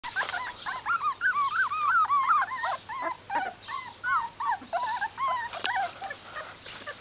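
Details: Welsh Springer Spaniel puppy, three and a half weeks old, in a garden, giving rapid high squeaky whimpers and yips, wavering up and down, nearly three per second.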